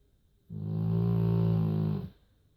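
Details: Joschi, a sleeping pet dog, gives a single long, deep snore lasting about a second and a half, a steady low droning rasp with strong rumbling tones, in a quiet small room.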